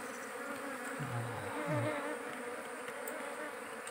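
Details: Wild giant honey bees at a small forest nest being harvested for honey, the swarm agitated and attacking; a steady low droning hum throughout, with two brief deeper hums near the middle and a hand clap nearby.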